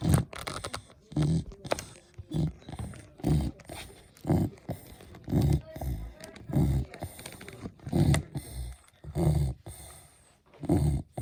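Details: Beagle snoring with regular deep, rattling snorts repeated roughly every second, low-pitched and grainy, with faint breathing noise in between.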